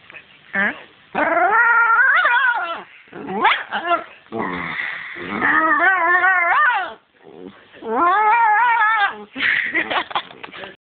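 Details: Pet dog barking in play, apparently wanting a toy: drawn-out whining, yodel-like vocal bursts that rise and fall in pitch, coming in repeated bouts of one to two seconds with short pauses between.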